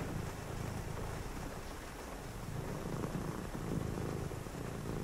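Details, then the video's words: Domestic cat purring on a rainy night indoors during quiet reading: a low, steady rumbling purr in rhythmic pulses, heard over a constant soft hiss of falling rain. "a purring cat"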